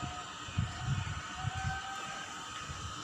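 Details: Low mechanical rumble with steady humming tones, like a passing vehicle or train; no animal calls.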